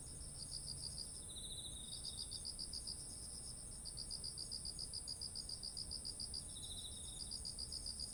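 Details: Insects in autumn by ripe rice fields, recorded in Japan: rapid high pulsed chirping in repeated bursts, with a second lower trilling insect joining briefly, over a constant thin high whine and faint low noise.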